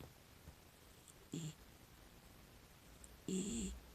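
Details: A female miniature dachshund, six years old and adopted as a rescue dog, snores in her sleep: two short, grunting breaths with a breathy hiss, the second longer and louder, over near silence.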